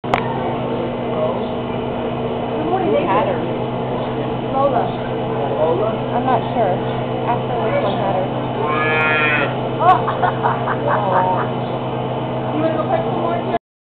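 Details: A female calf born that same morning, still very wet, gives soft, wavering moos over a steady background hum on a farm, 5/28/11.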